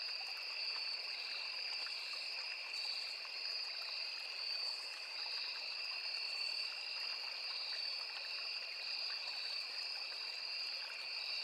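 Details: Crickets calling in a forest beside a small river: two steady, unbroken high-pitched trills, one shrill and one slightly lower, hold throughout while a stream trickles and babbles underneath.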